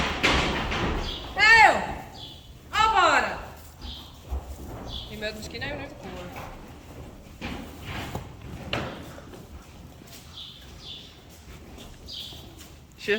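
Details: Friesian horse in a stable where young foals, taught to stand tied, are being dewormed: two loud wavering whinnies sliding downward in pitch early on, then Dutch speech, thumps, hoof knocks and a few faint bird chirps.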